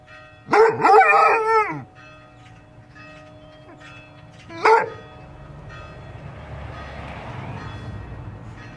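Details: A Basset Hound woken by ringing bells howls in a long, wavering, mournful note, then a shorter one, as the bells keep ringing.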